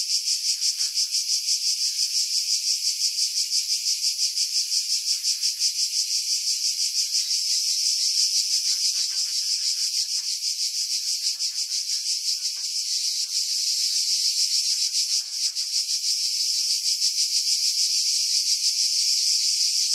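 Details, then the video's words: Continuous high-pitched cicada chorus from pines above Pefkos Bay on Skiros, Greece, in July 2018; steady rasping buzz with fast regular pulsing, a brief dip near fifteen seconds, wind noise edited out. "Cicada Sounds, July 2018 Skiros, Greece"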